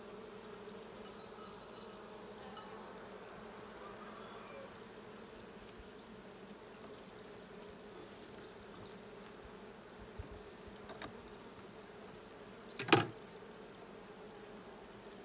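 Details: Honey bees in the blue hive during a hive check on 6/20/22, giving a steady low drone with bands near 220 and 450 throughout, and one sharp knock or click around thirteen seconds plus a few faint taps.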